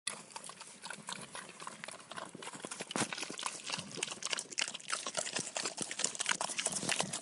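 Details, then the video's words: Pigs eating, heard as dense wet crunching and chewing with rapid irregular clicks and smacks, growing louder after about three seconds and continuing without a break. "Pigs Eating Sound Effect"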